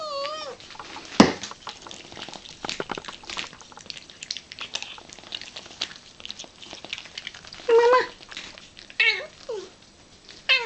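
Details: Domestic cat eagerly delighted by her favourite food, tuna with cat crunchers: a short wavering meow at the start, then rustling and clattering, followed by several brief rising-falling meows near the end.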